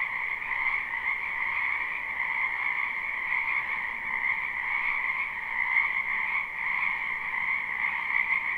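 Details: A live, unlooped spring recording from a wetland where many frogs croak together, producing a steady, dense trilling chorus with gentle rises in loudness.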